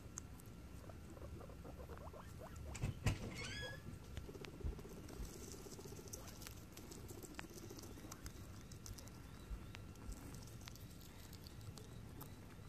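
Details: Guinea pigs out on an adventure let out a short burst of quickly repeated high squeaks that climb in stacked pulses around the third second, over a low rumbling background with soft pattering.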